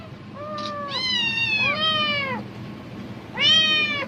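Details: Domestic cat calling out excitedly at the sound of a plastic bag, seemingly thinking food is coming: three drawn-out, tonal meows with rich harmonics, the middle one sliding down in pitch, over steady low background hum.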